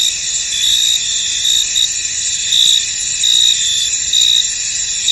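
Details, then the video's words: Crickets in a misty, foggy field: a dense, steady high trill with brighter chirping bursts pulsing roughly once a second over the constant shimmer, and no other animals or voices. "Tranquil Cricket Sounds In An Misty Field"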